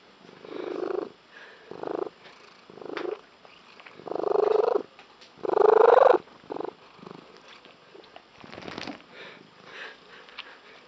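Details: Loud, intense purring from a female domestic cat with an unusual tree-frog-like purr: a run of harsh, pulsed bursts of varying length, the strongest near the middle, then fading to softer, scattered rasps.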